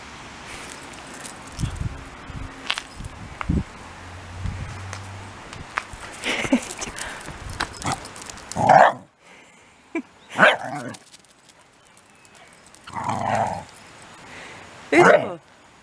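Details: Ichi, a Shiba Inu, refusing a shampoo after a misunderstanding. Short, strained whining or grumbling bursts come at intervals over steady room noise, with a few soft thumps.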